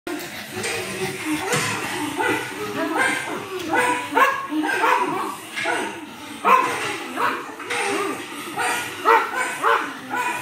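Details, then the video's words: A pug barking at himself: a steady run of mid-pitched, slightly strained barks and yips about every second, with some whining tones between them and a hint of voices behind. "Pug Barking at himself"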